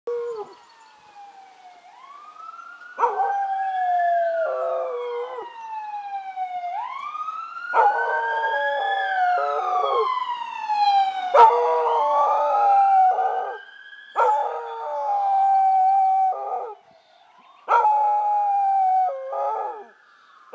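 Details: Oscar, a Keeshond, howls at passing sirens; a siren wails in long rising and falling sweeps while the dog's wavering howls join from about three seconds, overlapping the siren in broken, sliding tones.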